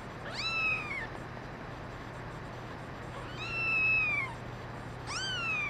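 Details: A brown mackerel tabby and white female kitten among a litter meows three times, each cry rising quickly then holding a high bright note before falling away, with a constant low electrical hum behind.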